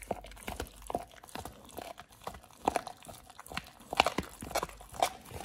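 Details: Pit Bull named Oliang eating a raw ostrich paw, his first time with one, given as a snack for healthy teeth and jaw exercise; close, wet crunching and biting in quick irregular bursts, some sharp cracking bites.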